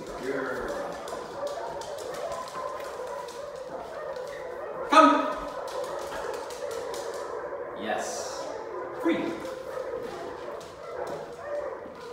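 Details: Ruby, a two-week-old Dachshund mix puppy, makes squeaky, wavering whines and short yelps that rise and fall over twelve seconds, with one sharper cry midway and a quick high squeal near the end, as human voices murmur underneath.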